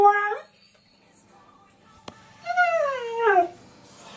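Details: A husky, confused on hearing his favourite song played, gives a brief bright yelp, then a longer whining howl sliding downward in pitch with a rich, voice-like tone. The room is otherwise quiet.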